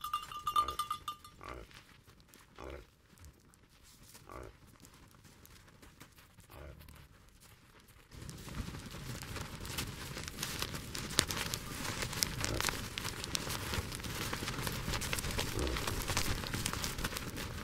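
Reindeer giving short, rough grunting calls in quick bursts, followed by a steady rushing noise.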